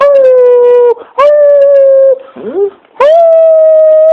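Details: Pet dog howling when prompted by its owner: long steady harmonic howls held near one pitch, broken by a short wavering whimper, then a rising howl that levels off.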